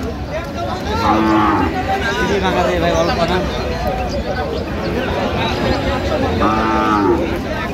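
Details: Cows for sale at Aftabganj cattle market on 1 November. Two short moos, about four seconds apart, rise through constant crowd hubbub and men haggling nearby.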